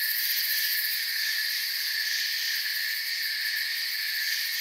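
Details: Forest crickets make a continuous high-pitched trilling wash, many insects blending into one even, shimmering drone without breaks.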